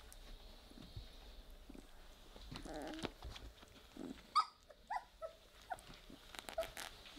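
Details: Playing Weimaraner puppies, three weeks old, produce a brief low growl, then a run of short, high-pitched yelps and whimpers clustered after four seconds, over quiet scuffling and background hiss.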